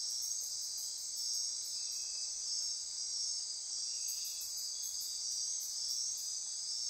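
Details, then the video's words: Insects ratcheting and trilling after dark in the Osa Peninsula rainforest near Corcovado National Park, Costa Rica; a dense high drone with bursts of quick, very high pulsed clicks at the beginning and again midway. "Midnight Insect Chorus"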